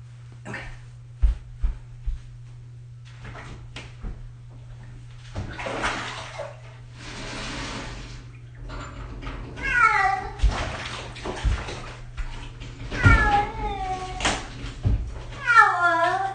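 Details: Six-year-old cat during its first bath: water splashing and sloshing throughout, then three descending, harmonic meows in the final seconds, the last one drawn out and wavering.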